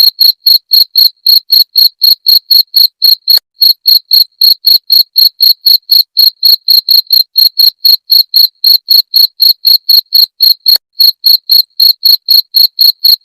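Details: Rapid, even cricket chirps, offered as a rat-repelling sound, ring out high and bright at roughly four per second without a break, over an otherwise silent background.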